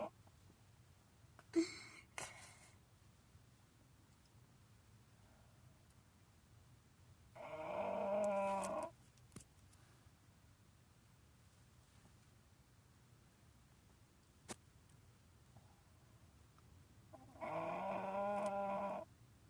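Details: A sleeping dog snoring indoors: two long, rasping, droning snores about ten seconds apart, each lasting over a second, with a brief rustle early on and quiet room tone between breaths.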